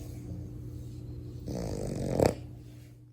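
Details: One drawn-out, raspy snore rising to a short snort from a sleeping French Bulldog puppy, then fading quiet, with a faint background hum.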